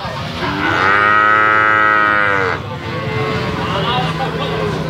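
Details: A calf lets out a single steady, tonal moo of nearly two seconds, bright with harmonics, then quieter lowing and background farm noise.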